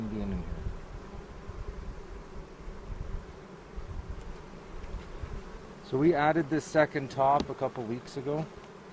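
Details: Honey bees hum steadily during an April 27 hive inspection in a bee yard in the foothills near Cochrane, with hobby beekeepers checking for queen cells and making a split. A low, even droning fills the first six seconds, then people talk over it. Recorded with a 360 camera.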